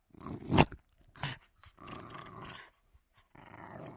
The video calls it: Jack Russell Terrier Growl Sound Effect in HD Quality